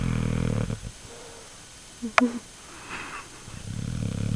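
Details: Sleeping pet dog named Shane snoring: low, rasping, buzzy breaths at the start and again near the end, with a quiet gap between holding a sharp click and faint higher sounds.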